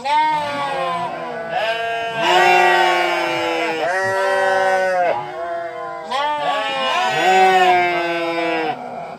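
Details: Sheep bleating loudly and nearly nonstop, with several drawn-out quavering bleats overlapping for about nine seconds.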